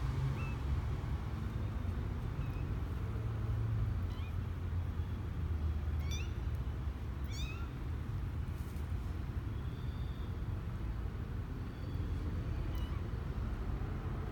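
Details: Misoka, a male kitten 12 days old, on his first adventure outside the box on January 12, 2020, gives thin, high rising mews spaced several seconds apart over a steady low rumble.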